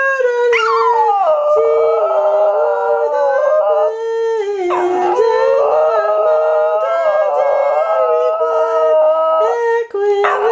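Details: Badger the Border Terrier joins a woman singing Angels We Have Heard on High, giving continuous tonal howling with pitch steps and slides, a dip mid-phrase, and one brief gap near the end.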